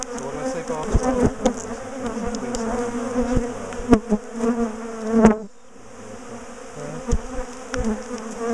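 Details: Bees from a large top bar hive colony that has been chasing its owners down the garden, being split and moved: a thick, wavering low hum with scattered knocks and taps, briefly quieter after a loud clatter midway.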